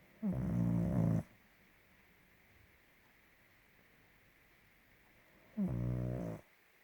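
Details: A sleeping pug snoring very loudly indoors: two deep, rasping snores, each about a second long and roughly four seconds apart, with quiet breathing between them.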